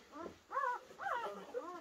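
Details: Week-old German Shepherd puppies kept in a conservatory; three or four arching whining squeaks, rising then falling, each about a quarter second long, with steady low background hiss.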